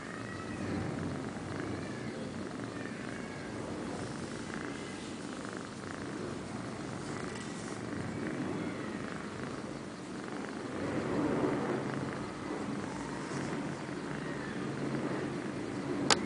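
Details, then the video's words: Liz and Taby, kittens five months old, snoring while they sleep: a continuous low rasping rumble that rises and falls with each breath, swelling slightly near the middle, with one sharp click at the end. "Kittens 5 months - Liz and Taby (snoring)"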